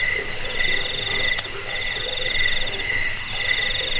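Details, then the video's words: Cricket chirping, in a recording used to repel rats, help with sleep and train songbirds: several pulsed high trills layered in steady bands, with a faint low rumble beneath. "suara jangkik"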